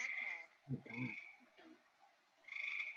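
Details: Two gray treefrogs (Hyla versicolor) in Maine, each in a different tree, call back and forth in short, musical, underwater-sounding trills, a call often heard late in summer; a person's voice speaks briefly between them.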